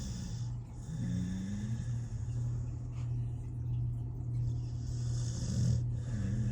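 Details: Smiley, a 13-year-old rescue Pit Bull, snoring in his sleep: soft low rumbling breaths with a faint nasal whine that rises and falls, over a steady low indoor hum.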